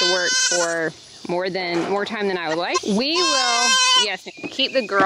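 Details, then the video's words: Baby goats being weaned on a farm scream in loud, wavering bleats with a strained, nasal tone. The cries come in bursts of about a second, some rising and falling, with a person's voice speaking between them. "IT'S TIME TO WEAN the BABY GOATS! SO MUCH SCREAMING!"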